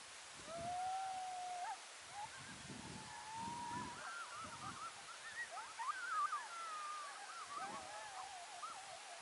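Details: Coyotes calling at sunset on November 2, 2022: a long rising howl followed by a jumble of wavering yips and warbling cries from several voices, fairly distant, with low thumps and faint background noise.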